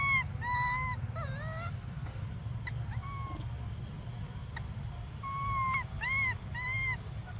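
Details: Young monkey named Briar begging for milk with thin, tonal wails, several short arched and rising cries in quick runs, a quiet gap in the middle, then a fresh burst of sharp cries over low background rumble.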